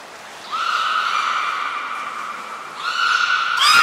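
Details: Beluga during a training session at the Port of Nagoya Public Aquarium on 11 January 2021, with Nana, Mirai and Niko. A steady harmonic whistle holds level for over two seconds, pauses briefly, then resumes and ends in a sharp broadband burst.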